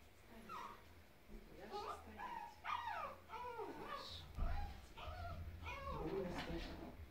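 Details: Bulya, a 13-month-old male Bichon Frise, during an indoor training session gives short high whining yips with rising and falling pitch, mixed with a woman's Russian praise, "molodets, molodets".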